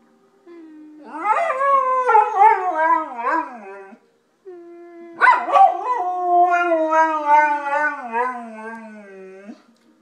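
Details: A golden retriever howls as if speaking like a human, in long, wavering, tonal notes that slide up and down and then fade.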